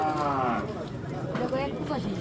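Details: Cattle at the Shikaripara cattle-and-goat market, described as the biggest animal there. A low, drawn-out moo with rich stacked harmonics fills the first half second, overlapped by men talking and bargaining amid crowd noise.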